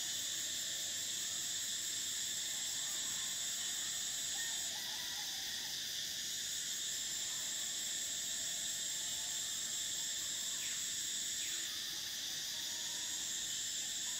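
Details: Cicadas fill a summer soundscape with a sustained shrill hum in several even layers. The top layer breaks and restarts twice, and faint scattered chirps and clicks rise beneath the drone.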